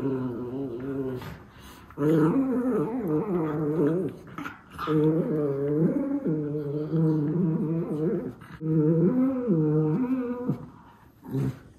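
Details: Miniature Schnauzer brothers tussling in play indoors; long sustained growling grumbles lasting about two seconds each, wavering in pitch, four main bouts separated by short quiet gaps and light thumps.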